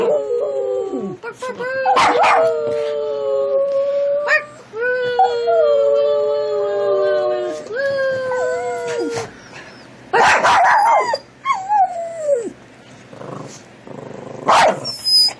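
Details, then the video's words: Dog singing along in long, drawn-out howls, steady tones that bend and slide downward, broken by short bursts and yips, with music playing alongside. "Dog singing"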